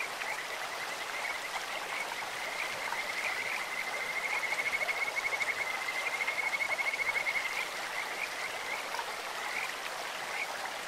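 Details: Kajika frogs in a clear mountain stream, their bird-like voice a high, even trill that swells in the middle and fades toward the end, carried over a steady wash of running water.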